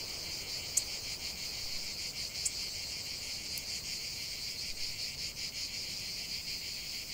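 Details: Cicadas singing in a nature setting: a dense, continuous high-pitched buzzing chorus with slight pulsing, plus a few sharp faint clicks.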